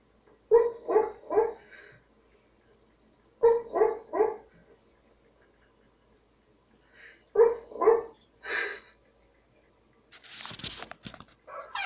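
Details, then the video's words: Dog barking indoors in short bursts of two or three sharp barks, about three seconds apart, followed by a single bark and a brief rustling noise at the end. "shorty barking hearing dog bark"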